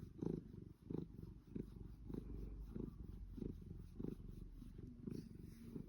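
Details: Savannah cat purring contentedly while being fussed indoors: a steady low rumble with breathy pulses roughly once a second, each swelling briefly in pitch and loudness.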